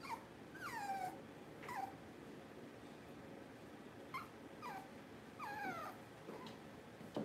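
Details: Puppy whimpers from a litter filmed during a power-outage livestream: repeated high, falling whines about every second, each sliding down in pitch, with faint room noise between them.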